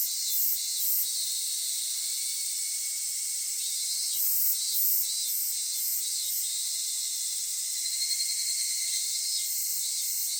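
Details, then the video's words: Japanese summer cicada chorus at Kitakami's Michinoku Folk Village and Tenshochi: a steady high sizzling drone with bursts of pulsed shrilling that come and go in short groups. "夏セミの鳴き声 ミンミンゼミから夕方のひぐらしまで"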